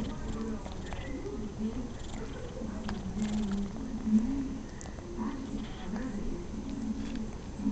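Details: Rocco, a domestic cat, purring during a rare quiet moment while enjoying a pat; a steady low rumbling purr pulses softly and evenly throughout, with faint voices in the background.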